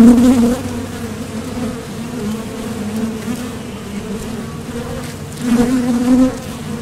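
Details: Close, loud buzzing of honeybees landing at the entrance of a Top Bar Hive during nectar foraging; steady low drone that rises at the start and again near the end as bees pass right by.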